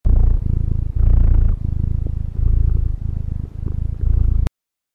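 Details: Cat purring close up: a deep, rumbling throb in loud bursts separated by brief pauses, then silence at the end.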